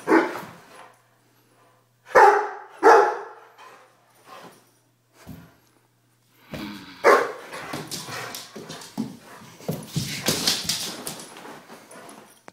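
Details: A one-year-old Weimaraner gives loud, uneven barks and yips, followed by a stretch of noisy scuffling.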